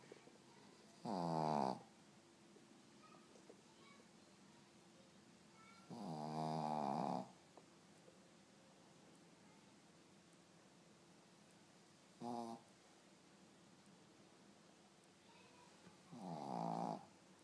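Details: A sleeping Shih Tzu snoring indoors, four rasping, rattling inhalation snores of about half a second to a second each, spaced roughly every five seconds with quiet breathing between.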